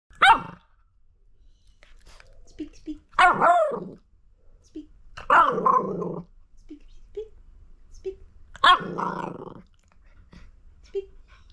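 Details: A pet Miniature Fox Terrier picking a fight with a person's hand indoors gives sharp, high barks that slide into rough growls, about four bursts with quiet gaps and small squeaks between.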